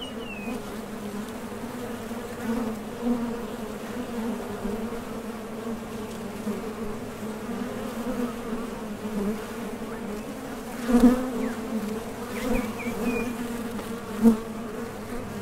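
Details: Honey bees droning at the entrance of a top bar hive while foragers depart and return from collecting nectar; an even, deep hum with louder swells as single bees fly close, plus a couple of faint bird chirps.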